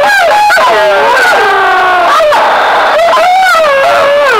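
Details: Wolves howling in answer to a sound stimulus during the 2013 census in the Parco Nazionale delle Foreste Casentinesi: several long, wavering howls overlap, sliding up and down in pitch without pause.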